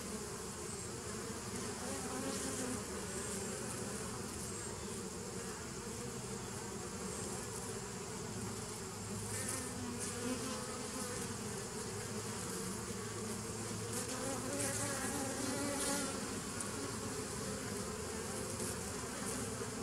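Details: Massed honey bee buzz recorded 27 September 2018: a long, level, dense drone with slowly shifting tonal bands and scattered soft hissy bursts up high, loudness nearly constant.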